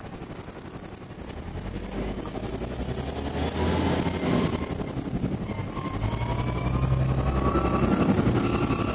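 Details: Great green bush-cricket (Tettigonia viridissima) singing: a very high, rapid ticking buzz in long pulsed trains, broken by short pauses near the two- and four-second marks, over a steady low rumble.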